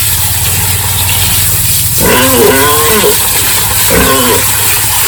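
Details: Pigs squeal during the morning feeding and pen-cleaning routine on a village pig farm. Two short, warbling squeals rise and fall about two seconds apart over a steady low machine-like hum.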